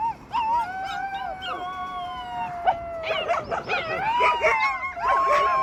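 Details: Several rescued wolf pups in chorus, their long smooth howls layered at different pitches, then turning into wobbling, quavering cries and excited yips near the end.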